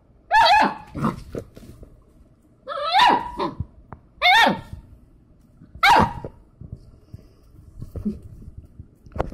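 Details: Young Labrador Retriever puppy, two months old, giving four loud, high, yelping barks at uneven intervals of one to three seconds, with softer short yips and whimpers in between.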